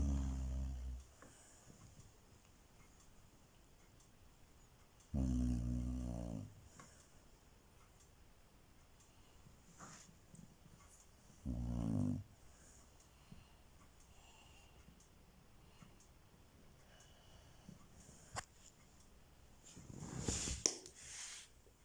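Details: Loudly snoring Chow Chow in a small room, later startled awake; deep rough snores roughly every six to seven seconds, each about a second long, then a sharper noisy burst near the end.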